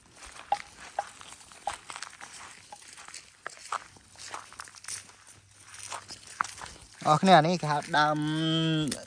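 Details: Water buffalo grazing in an open field, herded in the traditional way of the Por indigenous minority; a deep, drawn-out, wavering low call swells near the end after people talking and footsteps.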